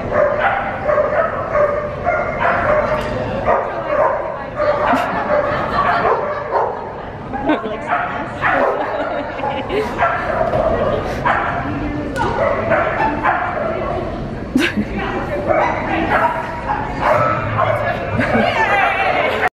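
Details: Old English Sheepdog on an advanced standard agility course, running and repeating the tunnel. Sharp, repeated barks are scattered through the clip over steady talking and crowd noise.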